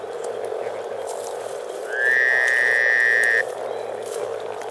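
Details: Spring chorus of over 300 frogs at Teisko, Pirkanmaa, Finland: a continuous low bubbling murmur. Midway, a clear, steady high tone rises briefly, then holds level for over a second.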